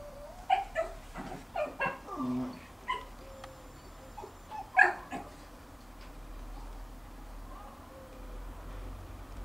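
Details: In a garden, a young Jack Russell Terrier barks to get a bone held by his older, dominant brother: a cluster of sharp yelping barks early on, another loud yip near the middle, then quieter whines.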